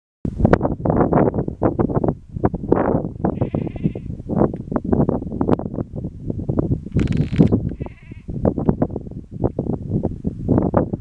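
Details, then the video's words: Feral goat in the Cheviot Hills, Northumberland, UK, on the Pennine Way, 20 September 2022; loud, rapid, rough bursts of sound repeated throughout, with brief higher buzzy notes in between. "Feral Goat. The Cheviot Hills, Northumberland, UK"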